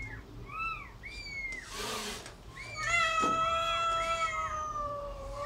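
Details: Cat with kitten around feeding, short arched mews followed by a long sustained meow, with a burst of rustling noise in the middle.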